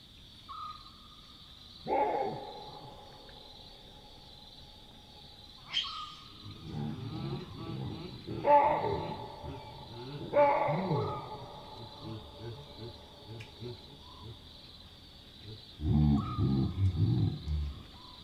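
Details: Chacma baboons calling at night in the African bush: loud, harsh alarm barks at about 2, 6, 8.5 and 10.5 seconds, warning of a nearby predator, then a cluster of low grunts near the end, over a steady insect drone and a thin whistled tone.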